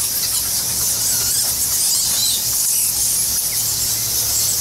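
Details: Massed bats, thousands strong, roosting in the Goa Lawah cave temple on Bali, producing a constant sizzling blanket of high squeals with a few brief sharper chirps standing out, over faint low background rumble.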